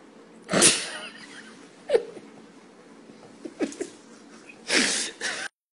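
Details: Pug, filmed doing gymnastic tricks indoors, giving several short sharp sneezing snorts spaced over a few seconds, the first and last bursts loudest, with quiet room noise between.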